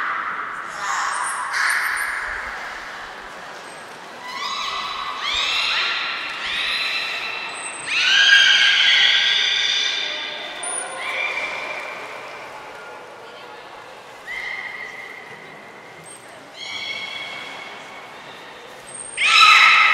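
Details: Belugas Gray, Nana and Mirai during a training session at Nagoya Port Aquarium on 10 February 2024. A string of harmonic calls, some steady and some rising, with short bright squeals and thin high tones, echoing in a large indoor hall.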